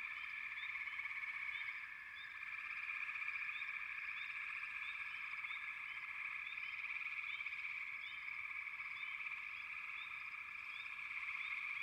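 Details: Frogs fill the air with a constant, buzzy trilling chorus. Short rising notes flick above it again and again, and the chorus dips briefly near the two-second mark.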